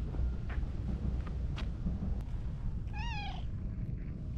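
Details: Friendly orange tabby cat popping out from behind shrubbery outdoors; one short, wavering, harmonically rich meow near the end, preceded by a few faint clicks, all over a steady low rumble of background noise.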